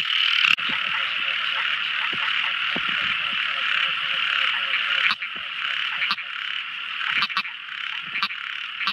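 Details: Tiny frogs at night: a dense, steady chorus of high trilling calls forms a continuous band, with a few sharp isolated clicks and a brief dip in loudness near the fifth second.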